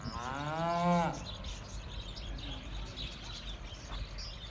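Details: Sahiwal or Cholistani cattle at a farm in Pakistan ahead of Eid ul Adha 2018, giving one short rising-then-falling moo of about a second, followed by farmyard background noise and faint distant voices.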